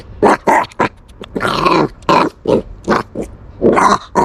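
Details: Puppy protecting its bone, making threatening noises: short rough growls and grunting bursts repeated in quick succession, some longer snarls in the middle, recorded close up indoors.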